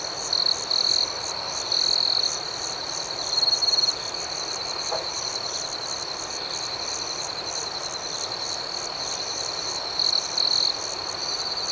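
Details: Nighttime cricket chorus, a constant high-pitched ringing trill, with several louder bursts of chirping that come and go, about four short surges spread across the recording.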